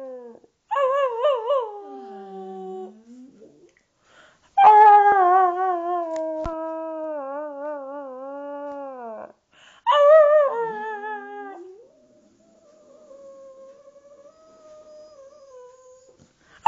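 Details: Maggie, a Boxer dog, howls at home in a duet with a person who also howls; three long wavering howl bouts, each sliding down then holding a steady tone, separated by short quiet gaps in a small room.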